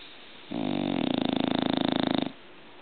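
An English Bulldog snores with a rough, rattling breath that flutters rapidly through a long inhalation.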